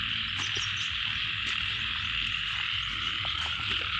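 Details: Many frogs in a rice field call together as a steady, high, rasping drone of rapid trills, with faint low background rumble and no clear pauses.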